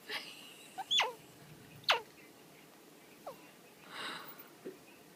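A baby squirrel gives short, sharp squeaks and sneezy chirps, spaced irregularly a second or so apart.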